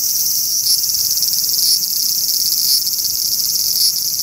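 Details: Steady, loud frying-pan sizzle of a large brown cicada calling from a cherry tree in a park, with gentle surges about once a second.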